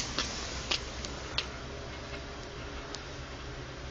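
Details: Broad hiss of car interior noise with a few sharp ticking clicks early on and no animal voice.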